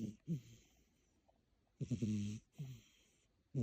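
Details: Cat snoring loudly while asleep indoors, a habit it shows only when sleeping in the room: short, low, throaty snores with a breathy hiss, a long quiet pause, then several snores in quick succession.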